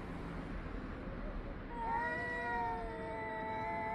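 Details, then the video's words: Two or more cats yowling at one another on 3 Av 5785, 6:01–6:04 summer time; after a quiet start, a sustained, wavering nasal howl with overlapping tones holds steady for over two seconds against low background rumble. "חתולים מייללים זה לזה Cats are yowling at each other"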